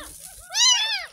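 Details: During its first-ever bath, a 10-day-old kitten found in a roadside gutter gives one strong, bending meow that swells and fades, preceded by a softer whine, with quiet music underneath.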